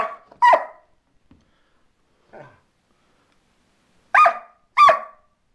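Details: Border Collie barking and snarling at its owner: a sharp, harmonic bark at the start, a faint short sound midway, then two loud barks in quick succession near the end, with silence between.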